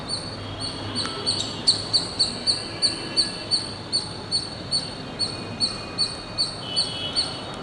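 A squirrel gives sharp, high chips, repeated steadily about twice a second.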